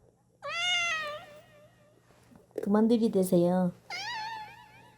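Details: Pet cat answering its owner's question with meows: a high, rising-falling meow near the start, then a human voice speaking, followed by another drawn-out meow at the end, indoors.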